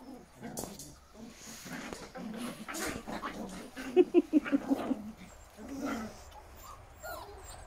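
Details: Giant German Spitz puppies indoors, with a quick run of about seven short, evenly spaced yips near the middle, softer whimpers and squeaks around them, and rustling and handling noise in the room.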